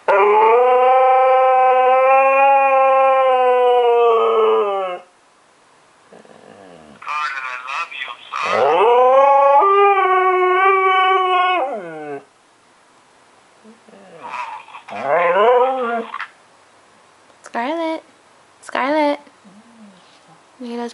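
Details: A female Siberian Husky gives long, mournful howls, then shorter wavering whines, while her owner, deployed in Afghanistan, talks to her on the phone; she howls because she misses him.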